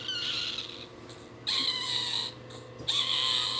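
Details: Crying newborn Shih Tzu puppy giving high, thin, sustained squeals in three bouts separated by short gaps, with a faint steady hum underneath.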